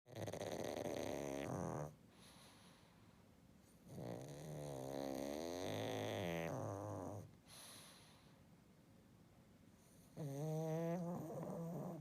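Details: Pet pug sleeping and snoring: long harmonic rasping snores of about two seconds each, separated by quiet intakes of breath, three loud snores across the stretch with softer breathing between.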